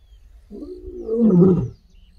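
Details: A wild lioness on a game drive in an African reserve gives a single gravelly, medium-pitched roar: one deep, rising-then-falling moan of just over a second, with no other sounds.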